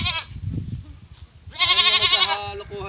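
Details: Naughty pet goat with a short call at the start, then a loud, strongly wavering bleat of nearly a second, trailing into softer bleating.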